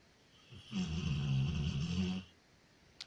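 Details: Sleeping Labrador retriever named Loya, whose snoring can keep the household awake half the night: a deep, rattling snore of about a second and a half, low and steady, followed by silence and a faint click.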